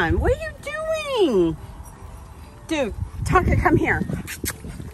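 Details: Distraught in the bathtub during his blowout, Tonka the male Alaskan Malamute lets out long, bending whines that sweep up then slide down, followed by a shorter cry and a woman's voice.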